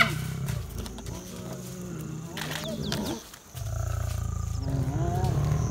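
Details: A lioness growls deeply, rumbling as hyenas approach her; the growl resonates from within her. South Luangwa National Park, Zambia, where three bold hyenas ran in and chased seven lions around a carcass.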